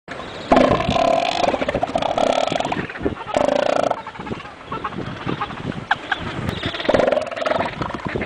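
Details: A very vocal elephant seal at Hannah Point, Antarctica, gives a long burp-like belch. The sound is throaty, rapidly pulsed and rattling, coming in several loud bouts separated by brief pauses, with harsh broadband texture throughout.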